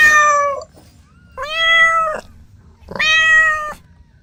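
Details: Domestic cat family, kittens at play with their mother and two siblings; three clear, level, drawn-out meows, each under a second long, spaced about a second and a half apart in a quiet room.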